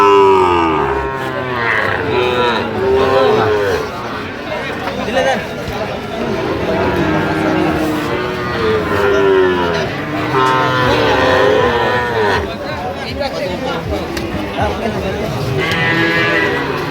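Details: Sahiwal bull calves bought by a Dhaka farmer on 22/9/25. Several low, drawn-out moos rise and fall among constant overlapping human chatter and bargaining voices in a busy crowd.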